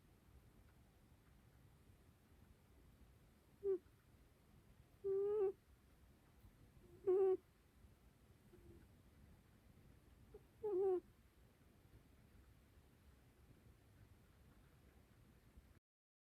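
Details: Pet rabbit named Okoge snoring while asleep: short, tonal, slightly wavering nasal tones with faint overtones, about five of them spaced roughly one and a half to two seconds apart, in an otherwise quiet indoor setting.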